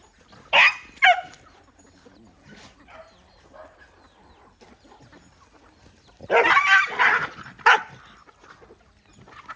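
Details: Dogs gathered while eating rice; two short, sharp, harsh barks open the scene, then a quiet stretch before a denser burst of rough barking and yelps, with faint chirps and background rustling between them.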